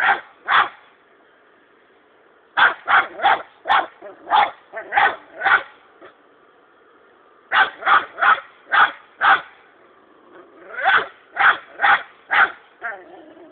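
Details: A six-month-old dog, Bingo alias Sako, barks persistently at a hedgehog while hunting; loud barks come in rapid bursts of five to seven, separated by pauses of one to two seconds, continuing for over thirteen seconds.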